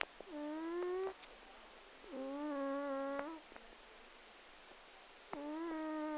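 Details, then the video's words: A sleeping 12-year-old pet cat snores loudly. Three drawn-out, nasal, whistling snores, each lasting about a second and spaced two to three seconds apart, with an even, steady pitch. Small taps are heard in the pauses. "My cat Sophie... Snores!"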